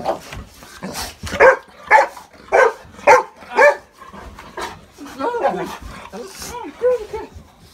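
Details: A pet Golden Retriever wildly excited as family members return home after several days away on a trip. It gives five loud, sharp barks about half a second apart, then high whines mixed with people talking and laughing.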